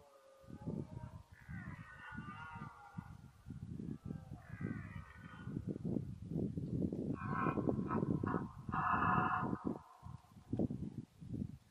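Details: Rutting red deer in 2014, mostly a fourteen-point stag: continuous rapid low guttural grunts over nearly twelve seconds, broken by several higher, wavering harmonic bellows.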